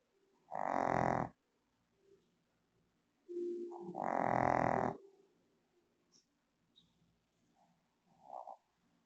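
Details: A female Shih Tzu in the Philippines, fast asleep on her bed, snores with two loud, rough, buzzing breaths, the second longer than the first. Softer snuffles and small breathing noises follow in the quiet between them.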